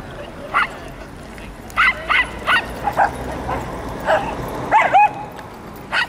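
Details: Welsh Terriers meeting other Welsh Terriers at Chatsworth House; sharp yapping barks, single and in quick pairs, scattered across the clip, with faint background chatter.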